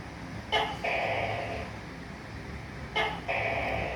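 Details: Tắc kè, a tokay gecko, calling: two double calls, each a sharp clipped onset followed by a longer, harsh, nasal note, about two and a half seconds apart over faint background hum.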